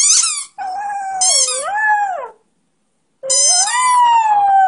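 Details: A one-year-old male Beagle-Schnauzer mix "sings", howling in long, wavering, rising and falling notes while squeaking a toy, which gives sharp squeaks.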